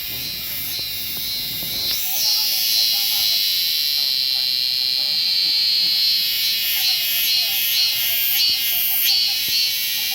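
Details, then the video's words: Korean cicada singing: a loud, shrill, continuous buzz held at a high pitch, broken by short rhythmic pulses about twice a second, with a fainter rasping layer above it; a few soft knocks in the first two seconds. "참매미 울음소리"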